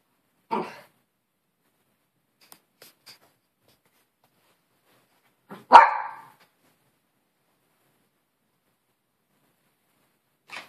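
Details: Two single, short barks from a Maltese poodle, separated by about five seconds of quiet, the second louder and punchier, with a faint soft sound at the very end.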